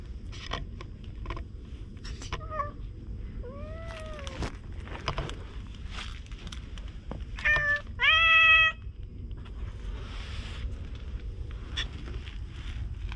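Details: Stray cats at a fishing spot under open blue sea and sky, filmed on a GoPro. Several short meows come early, then curved drawn-out mews, then two loud, clear, harmonic-rich meows near the end over low outdoor rumble and scattered clicks.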